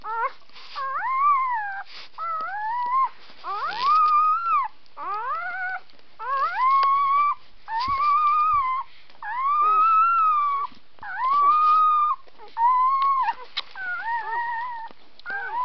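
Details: Newborn puppies, three hours old, making a long run of thin, wavering howls and whines, each lasting about a second, rising then sliding down, repeated with brief pauses, several voices overlapping indoors.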